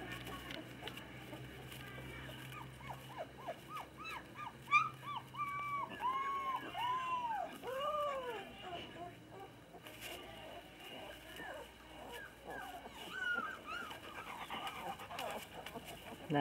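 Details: Labrador Retriever puppies, females 20 days old, socialising and playing with their parents in Olivares, Spain; arching, rising-then-falling whines and squeaks in quick bursts, with a person speaking Spanish in the background.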